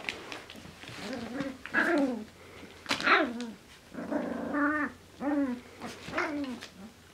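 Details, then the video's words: Two male Finnish Spitz puppies, four weeks old (28 days), playing together indoors: a run of harmonic whining yelps and rough growls arriving in short bursts about every second, some notes sliding up then down, with faint background hum. "Finnish Spitz Puppies Playing - 4 Weeks Old"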